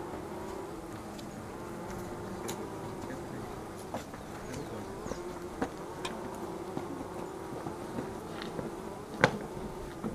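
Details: Continuous humming of Angelita stingless bees (Tetragonisca angustula), kept for their prized honey; an even, low droning buzz with scattered sharp ticks and taps over it.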